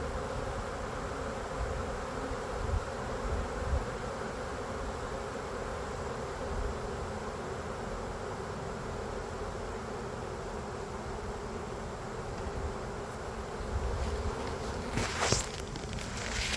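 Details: Sizable late-spring Western honey bee swarm in a tree in Lakeland, Florida, being collected into a box; continuous even hum of many wings, a short sharp rustle or knock near the end.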